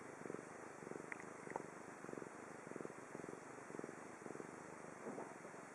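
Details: Domestic cat Chibi purring close up in Japan, a continuous low vibrating rumble in rhythmic swells roughly every half second to second, a couple of faint high squeaky notes mixed in early on.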